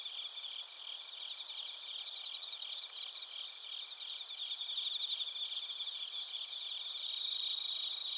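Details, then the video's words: Crickets and bell crickets singing together in Narita, Chiba Prefecture, Japan, TASCAM Portacapture X8 recording: constant shrill insect trilling in stacked bands, a rhythmic pulsing chirp rising in loudness toward the end. "スズムシとコオロギの鳴き声 - Chirping of crickets"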